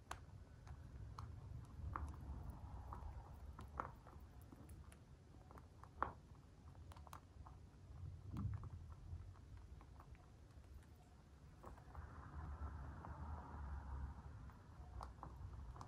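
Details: Eating food, a white dwarf mini lop rabbit kept free range makes crisp crunching clicks in irregular runs, with a few louder snaps, against a soft low room rumble.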